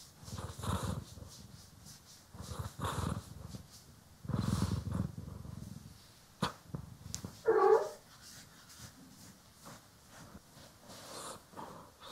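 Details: Domestic cat, one of the pair Poki and Kiwi, purring while being groomed and brushed, recorded in stereo; low rumbling purr bursts in pulses with pauses between, with soft brushing strokes and a brief higher rasp midway.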